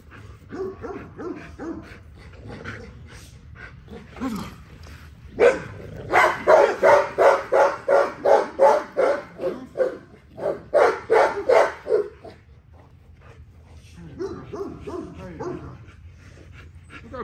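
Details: During a workout an XL American Bully gives scattered low barks, then a fast unbroken volley of loud, clipped barks lasting several seconds, a short pause, more rapid barks, and a few softer yips at the end.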